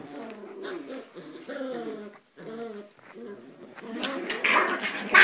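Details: Ee-red (rouge australien) Border Collie playing with one-month-old puppies: low, rumbling play growls in uneven bursts with brief pauses, ending in louder, higher squealing noise.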